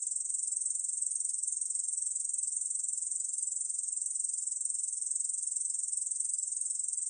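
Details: Song of a Ussuri bush cricket, 중베짱이 in Korean, from a 2020 National Institute of Biological Resources recording: a continuous high-pitched sizzling trill with a fine rapid pulse, level and unchanging. No other animals or noise.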